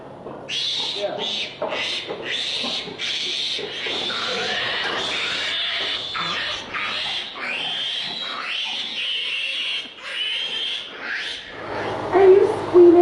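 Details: Many pigs, apparently on a factory farm, squeal together in harsh, shrill, overlapping bursts, a chorus of distress.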